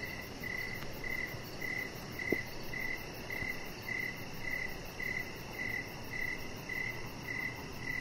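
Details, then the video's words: Crickets in the evening outside, a chihuahua puppy lying on the deck: regular high chirps roughly twice a second, with one brief click midway over quiet background rumble. "Chihuahua Puppy Laying On Deck with Cricket Sounds"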